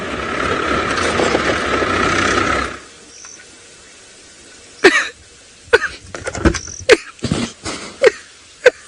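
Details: Baboon gives a string of sharp, harsh barks and grunts about half a second to a second apart, after engine or wind rumble, on an afternoon sunset game drive in Kenya's Maasai Mara, 14 October 2017, with rain threatening.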